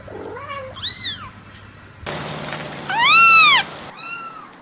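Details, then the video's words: Newborn kittens meowing: a few loud, rising-then-falling harmonic mews, one long and strained, separated by short pauses, with spliced segments and a low steady hum beneath. "Cute Newborn KITTENS MEOWING Baby Kitten Meowing Sound Effect A Cats Meowing Compilation"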